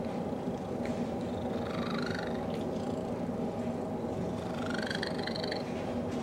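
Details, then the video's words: Cuddled against Betty the dog, Cecil the cat gives his unusual purr: an even, low vibrating hum overlaid by two bursts of buzzy, trilled, chirp-like tones. "Strange Purr"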